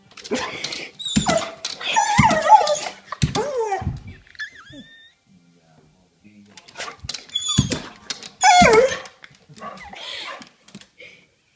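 Dogs trade odd whining, groaning noises that bend up and down in pitch, with a person's voice nearby.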